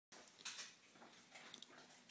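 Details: Female beagle named Perl, trained to sneeze on command, indoors: one sharp, breathy burst of a sneeze near the start, followed by quieter rustling and faint clinks in a small room.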